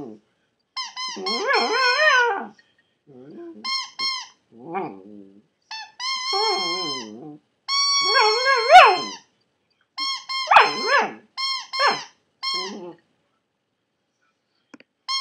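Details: Maltipoo puppy indoors singing in a drawn-out howl: wavering whines that slide up and down in pitch, in bursts of one to two seconds separated by short pauses, some notes breaking into higher squeaky cries.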